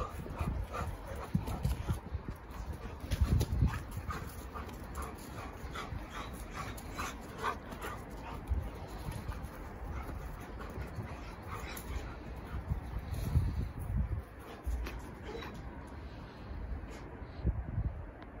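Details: German Shepherd puppy playing with an adult German Shepherd: low grunts, huffs and panting with occasional higher whimpering notes, plus scuffling and thumps of play throughout.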